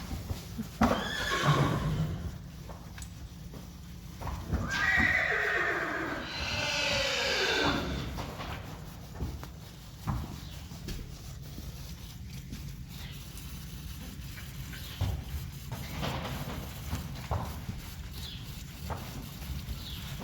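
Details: Friesian horse in a herd: a short call early on, then a loud, long whinny that slides downward in a shaky, quavering tremolo, followed by hoof clops and knocking sounds.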